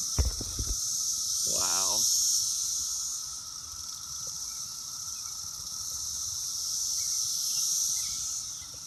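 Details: Loud continuous whirring drone from numerous Brood X periodical cicadas on an apple tree, recorded June 6th; a short burst of a person's voice and a few clicks come early, then the steady high hiss carries on.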